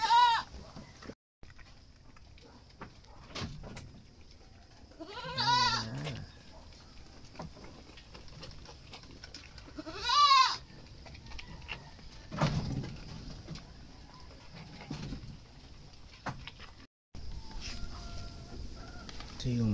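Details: Goats being wet-fed on azolla, bleating in several separate wavering calls, near 0, 5.5 and 10 seconds, with quieter rustling and short noises between them.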